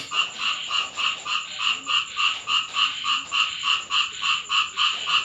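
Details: Frogs calling at night during rain in a home in Thailand: a steady pulsing chorus of nasal croaks, about three or four per second, bright and evenly repeated, with a faint constant hiss of rain underneath.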